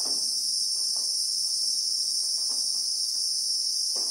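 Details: Christmas beetle droning in South African bushveld: a steady, intense high shrilling held throughout, with quiet muffled ticks dotted low in the background.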